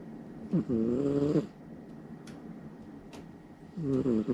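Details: Loud snores from a Somali cat fast asleep at night beside its owner: one full rasping inhaled snore with rich layered buzz, a quiet gap of over two seconds, then the start of the next snore.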